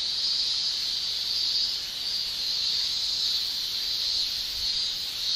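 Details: Summer cicadas in Japan, males singing with their tymbals, pour out a continuous high shrill buzz. The tone stays level and unbroken, gently waxing and waning about once a second.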